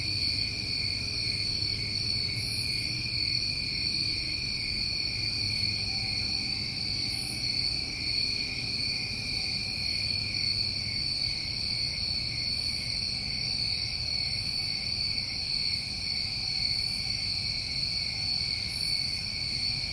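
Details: New England summertime crickets trill continuously at night, several high steady tones layered into a seamless wall of sound, with soft periodic brighter pulses above and a low background drone.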